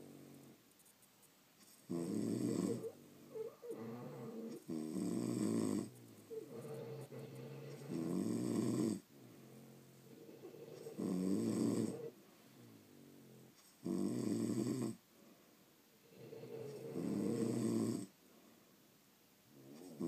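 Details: Several loud, raspy snores from sleeping pet French Bulldogs indoors, evenly spaced about every three seconds over twenty seconds, interspersed with softer, fluttering exhalations.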